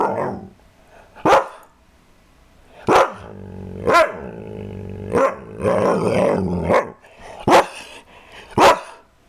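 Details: Barking from Kaiser, a pet dog, with about seven sharp barks at uneven gaps and a stretch of lower, rougher growling sound in between, plus faint high background noise.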